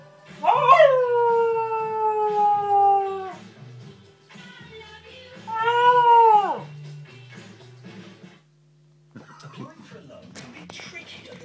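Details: A golden cocker spaniel bitch, howling at a TV ad, gives a long, drawn-out howl that slides down and holds, then a shorter second howl.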